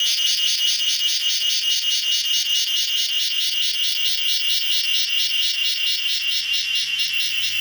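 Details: Cicada singing in a garden in the evening, resting on a mango tree: a loud, steady high buzzing trill pulsing about twice a second without pause.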